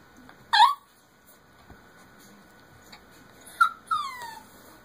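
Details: Jack Russell Terrier puppy struggling to climb onto a bed: one sharp high yelp, a pause, then two whimpers, the last a drawn-out falling whine, over a faint steady hum.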